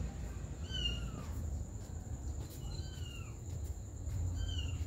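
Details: Mother cat tending her baby kittens; three thin, high meows at spaced intervals, each a short descending whine, over steady low rumbling background noise and a constant high electrical tone.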